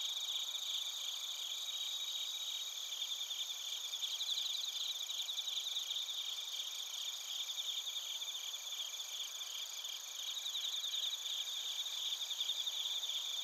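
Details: Crickets and suzumushi bell crickets from Narita, Chiba Prefecture, Japan, recorded with a TASCAM Portacapture X8: a constant high, shimmering chorus of fast repeated chirps, a slightly stronger pulsed voice rising around the middle.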